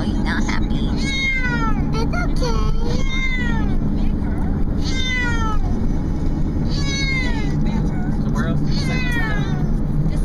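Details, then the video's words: Unhappy male cat complaining in a moving car: clusters of wavering, bending meows come in bursts every couple of seconds against steady engine and road noise. "Cat Whining in the Car"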